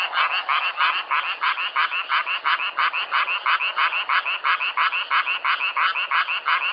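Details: Outdoor recording of frogs calling together, strongly rhythmic bursts of harsh, rattling croaks at roughly three per second, very regular and loud, forming a continuous pulsing chorus.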